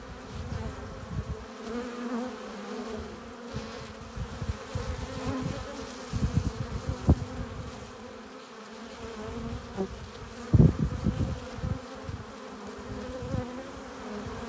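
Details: Honey bees at a hive entrance, entering with pollen and nectar: a continuous low droning hum with steady bands below 500, swelling and fading as individual bees fly close past, with louder passes near the end.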